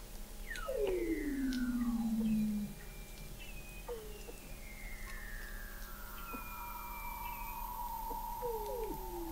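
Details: Weddell seals singing under Antarctic sea ice in McMurdo Sound, November 2017, heard from an undersea observatory: a loud sweeping downward whistle, then fainter long gliding tones and short chirps layered together over a low steady drone.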